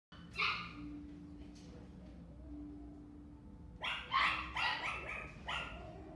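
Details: Male black Toy Poodle puppy born June 2018, kept at a pet shop, barking: one bark at the start, a pause with a faint low hum, then a quick burst of four or five sharp high barks.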